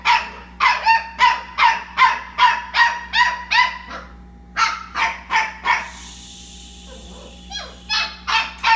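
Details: Labradoodle puppies at night indoors in a kitchen: loud, high yips repeated roughly every 0.4 seconds, a brief pause, then more yipping, over a steady low electrical hum.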